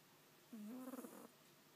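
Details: A strange pet cat making a funny noise: a single short, low, drawn-out call that steps up in pitch and ends in a wavering, trilled flutter. The room is otherwise quiet.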